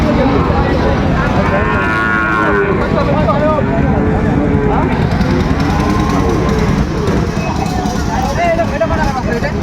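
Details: At Dinajpur's Ambari market on 26 September, with Sahiwal bull calves for sale, cattle low almost continuously: a long swelling moo near the start, then shorter bending calls, amid constant talk and traffic noise.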